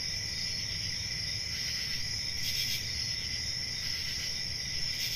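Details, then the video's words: Crickets on a summer night in a forest: a steady, unbroken high-pitched ringing drone in several bands, with brief brighter swells near the middle and end, over a faint low rumble. "Relaxing Cricket Sounds For Sleep"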